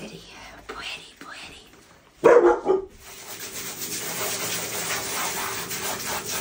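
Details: Siberian Husky, one of a group of huskies, getting a bath indoors: a short, loud, harmonic bark-like outburst lasting under a second, framed by a woman's soft talk and then a steady hiss of running water.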